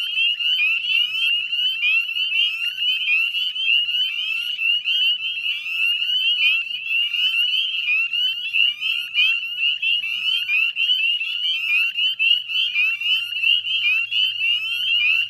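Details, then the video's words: Dusk chorus of northern spring peepers by the Chezzetcook salt marsh, Nova Scotia, Canada, 18 May 2020: countless piercing upslurred peeps overlap into a steady, ringing din, with a faint low hum late on. "Northern Spring Peeper Chorus"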